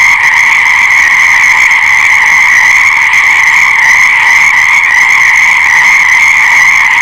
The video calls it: Fascinating Frog Sounds : Nature's Breathtaking Symphony